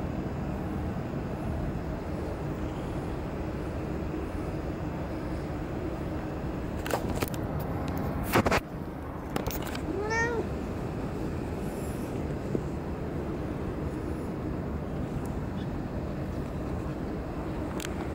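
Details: A cat at Dockyard Garden on 30 May 2017, early morning, gives a single drawn-out meow that rises then falls midway through, after sharp clatters and knocks, against a constant low hum of city noise.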